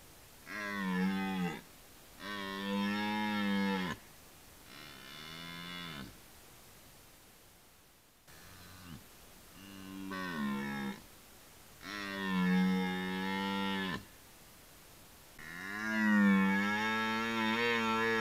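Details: Red deer stag roaring in a forest during the rut: six deep, harmonic bellows of one to two seconds each, some rising then falling, separated by short silent gaps, with a brief break midway.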